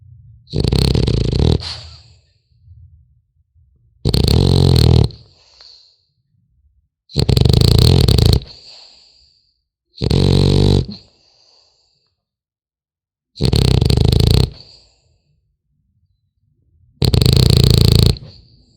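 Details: French Bulldog puppy asleep, snoring steadily: six coarse, rumbling breaths roughly every three seconds, each with a wheezy whistle at the end and faint snuffling between them.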